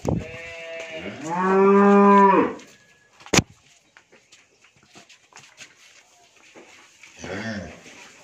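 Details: Friesian dairy cow, nine months pregnant with her third calf, at a farm in Bhangura, Pabna, Bangladesh, gives one long, loud, rich moo lasting over two seconds, then a sharp knock and a short low moo near the end.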